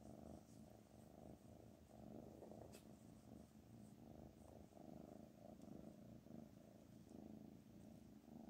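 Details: Black Panther, a pet cat, purring steadily: a low, continuous rumbling drone that pulses gently throughout, with one sharp click partway through and no other voices.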